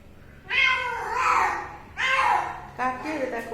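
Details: Pet cat giving three loud, drawn-out meows, each bending up then sliding down, the last one shorter and clipped; a small indoor room with faint talk nearby.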